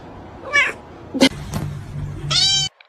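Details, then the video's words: Domestic kitten meowing indoors: two clear, drawn-out, harmonic meows about two seconds apart, the second louder and longer, with a brief click and low background hum between them. "kitten meowing call"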